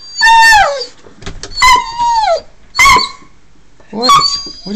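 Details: Socko the dog, wanting to go for a car ride, gives loud yelping whines indoors, four strong bursts with a pitch that drops or levels off, about a second apart, while a person keeps asking what he wants.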